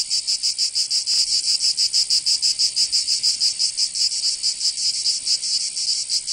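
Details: High, sizzling song of cicadas on a summer day in Provence, France: a continuous buzz broken into quick throbbing pulses, slightly uneven in rhythm, loud and close.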